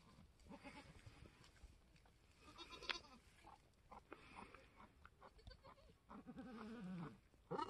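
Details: Homestead scene on March 13, 2021 with a newborn F4 mini Alpine buckling; scattered rustling and low sounds give way to a drawn-out, wobbling low bleat near the end, then a sharp higher cry.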